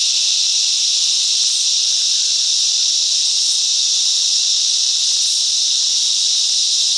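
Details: Cicadas singing together in bush mangroves at Coffs Harbour, NSW, Australia: a steady, dense, high-pitched hissing buzz with no breaks, loud and unchanging throughout, with no other clear sounds.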